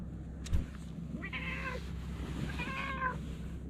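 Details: Talkative stray cat uttering two short, moderately faint meows about a second apart, after a brief thump, under a continuous low background rumble.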